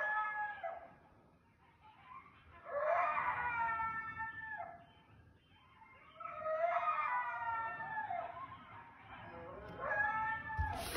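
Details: A coyote howls in wavering, drawn-out notes that rise and fall in pitch, in several separate bouts, in woods behind a house; the owner suspects it was howling against bobcats or other wild cats.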